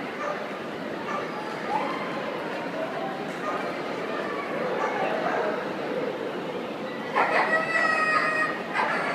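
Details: Siberian Husky at the World Dog Show 2013, with a steady murmur of crowd voices and distant dogs filling the hall before a cluster of loud, sharp barks with bright overtones bursts out near the end.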